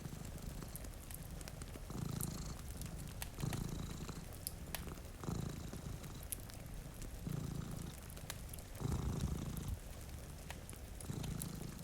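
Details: Two cats sleeping in front of a rainy window, purring: a low, rumbling purr that swells and fades in steady pulses about every one and a half to two seconds, with crackling fireplace pops and soft rain over it.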